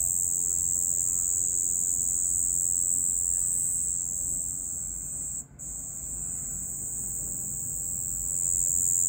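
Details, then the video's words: Cricket at night, a steady high continuous trill held through the recording with a brief drop-out near the middle, faint low rumble beneath. "Night Cricket Sound"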